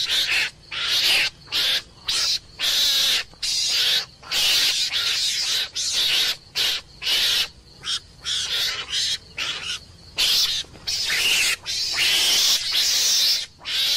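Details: Meerkat screams, rough and hissing, pouring out in quick successive bursts with brief breaks, some longer blasts near the end, sustained throughout.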